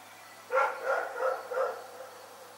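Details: Rex the dog barks in the night, a quick run of four barks at an even pace, each fairly loud and clipped, then silence with a faint low hum.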